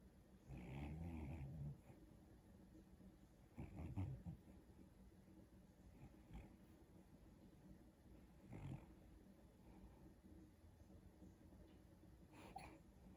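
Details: Dog dreaming while sleeping on the back of a couch, letting out low, rough snoring breaths with a slight whiny edge, irregularly spaced a few seconds apart, quiet against a soft background hiss.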